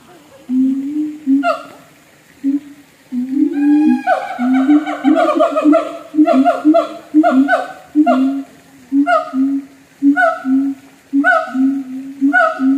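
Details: Siamang in a zoo in North Lombok giving a loud series of deep, pulsing booms that repeat about once a second, overlaid by rising, ringing whoops that speed up and build in intensity through the middle of the sequence.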